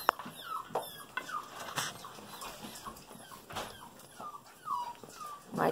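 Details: Golden Retriever puppies just over five weeks old, a litter of sleepy girls playing with keys and a toy, give thin, high rising-and-falling whimpers scattered through the clip, with soft rustling and a woman's voice.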